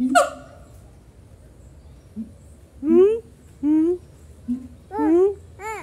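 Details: Siamangs at Semarang Zoo trade loud, rising whooping calls back and forth, each note swelling then bending upward.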